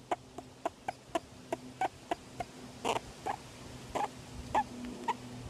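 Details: Young male grey-headed flying fox, kept in care after injuries, squeaks contentedly as he is petted and scratched; brief, clicky squeaks come in a quick irregular series, several a second, against a low steady hum.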